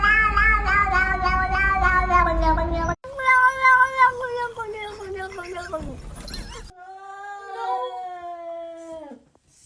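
A domestic cat gives three long, drawn-out meows, each wavering then falling in pitch.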